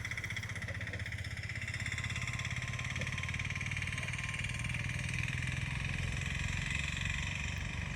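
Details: Idling engine drones steadily with a constant mechanical hum and no animal calls.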